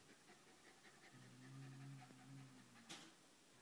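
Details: An 11-month-old wire fox terrier pants while trying to make friends with a cat. The breathing is low and steady, with a humming tone through the middle, and a single sharp click comes near the end.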